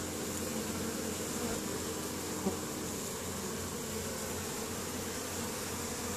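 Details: Many honey bees at a colony entrance in Caribou, Nova Scotia, Canada, 10 May 2015, bringing pollen home during spring foraging; continuous low buzzing drone, one brief click near the middle, no other voices.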